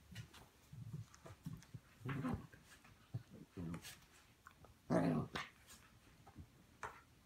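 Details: Puppies playing together in the morning, giving short low rough growls in scattered bursts, the loudest and longest near the end, with soft scuffles and thumps of play between them.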